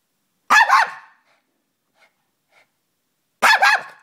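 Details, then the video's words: Hyper Chihuahua barking: two sharp, high, clipped barks about three seconds apart with quiet gaps between, faint small yips in the pause. "Hyper dog"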